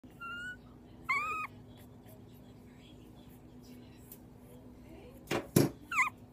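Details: Two-week-old fostered mutt puppy, part Jack Russell terrier, chihuahua and dachshund, indoors while his bottle is readied. Two high, rising, squeaky whines open the clip, followed by a quiet gap and a short burst of sharper squeals near the end.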